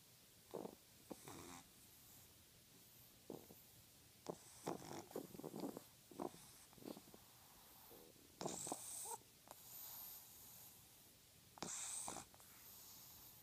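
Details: A 12-week-old female French Bulldog puppy snores while asleep with her tongue sticking out, giving short, raspy snorts and wheezy breaths at uneven intervals, some brief and nasal, others longer and hissing, with quiet gaps between.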